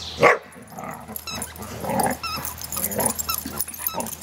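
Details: Dogs Bailey and Cooper playing together while Bela plays with a toy; short throaty growls and yips in a quick irregular series, with a toy squeak near the start and clicking thuds of movement.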